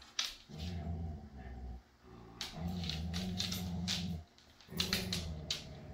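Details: Siberian Husky Jude, an adoptable dog from Pet Harbor Rescue, with his foster siblings: deep, moaning, growl-like vocalizing in three sustained stretches of one to two seconds, with brief gaps and sharp scraping clicks throughout.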